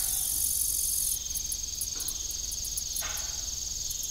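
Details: A dense, high, ringing cricket trill fills an evening farm scene, steady throughout and pulsing slightly toward the end, broken only by two faint squeaks from an old broken windmill.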